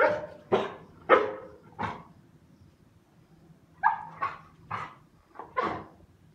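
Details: English Pointer barking, two groups of four to five short sharp barks separated by a pause of about two seconds, the second group slightly higher and more whining.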